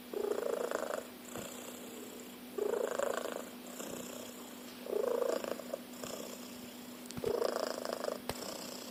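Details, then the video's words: Snoring cat, said to sound like a car engine: four rasping, droning breaths at a steady pace of roughly one every two seconds, with quiet gaps between them. "Cat Snores like a Car Engine."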